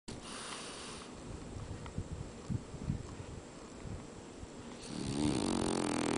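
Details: French Bulldog named Cooter snoring while asleep indoors, a rough rhythmic rasping with irregular breaths swelling and fading, growing louder and noisier near the end.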